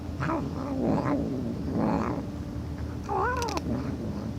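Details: Domestic cat making funny sounds: low, moaning yowls that waver up and down, three drawn-out cries in quick succession, then a higher rising-and-falling wail near the end, over a steady background hum.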